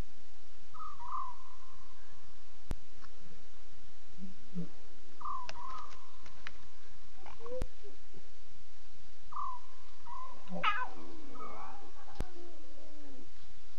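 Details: Lion cubs calling at 2:40 a.m. on 5 October 2016: short, steady, whistle-like tones repeated several times over a low rumble, with wavering, quieter mews and a few sharp clicks.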